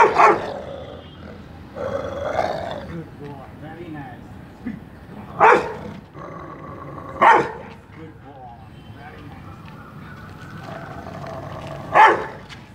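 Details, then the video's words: During attack training in Mumbai, a Rottweiler gives single loud barks on command, spaced a few seconds apart, with a handler's spoken praise and commands between them. "Rottweiler dog attacking speak training"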